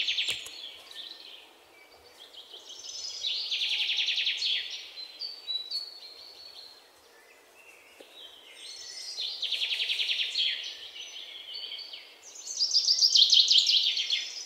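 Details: Three long bouts of fast, shrill chip notes from an Indian palm squirrel, each bout swelling and fading, with the last one the loudest and highest, separated by quieter pauses of background hiss.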